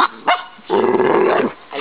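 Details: Pet dog said to say "mama" on request, giving a drawn-out, throaty, growly moan lasting under a second, after short yelp-like onsets, indoors.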